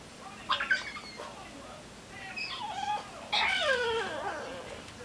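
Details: Female French Bulldog crying and whining to be let out of her crate; a series of high, wavering, rising-and-falling squeaky whines in short bursts, strongest near the end, over steady background hiss.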